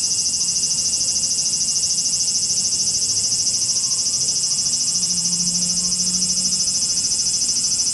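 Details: Cicadas screaming in Japan, a strident high whirring buzz pulsing very evenly about three times a second, with a soft low humming tone passing underneath midway through.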